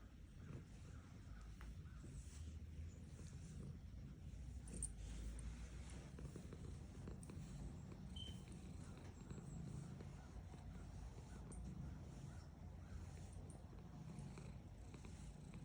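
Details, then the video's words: Female domestic cat purring while being petted: a soft, steady low rumble that runs unbroken through the whole recording, with faint handling rustles above it. "Cat Purring Sound Effect. *Petting my Girlfriend’s cat while she purrs*"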